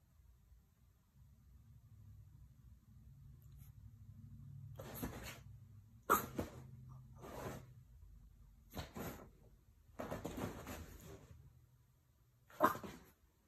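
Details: A 13-week-old female lilac tan merle French Bulldog puppy, mad at not being allowed to chew her pee pad, gives a low, rumbling growl broken by sharp, snorting huffs.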